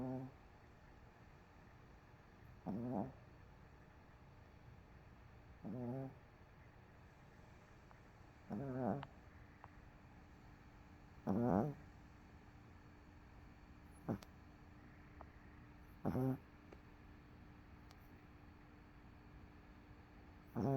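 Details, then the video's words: Sleeping on the couch after a rough day, the dog MoMo snores in slow, regular breaths, a low rattling burst about every three seconds, with CoCo sleeping nearby; otherwise a quiet indoor room. "Dog Snoring"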